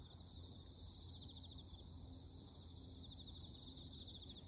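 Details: A loud, steady, high, shimmering morning buzz of many insects calling together, with a low rumble beneath.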